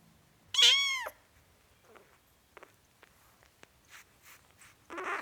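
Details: A four-week-old kitten gives one short, high meow with a rising then falling pitch, lasting about half a second. Faint soft clicks and rustles follow, and a softer sound rises near the end.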